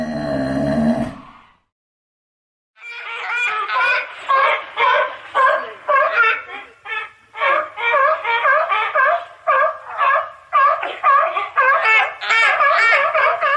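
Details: Sea lion barking in a steady series of harsh, honking barks, roughly two per second, after a brief unrelated burst of sound and a short pause at the start.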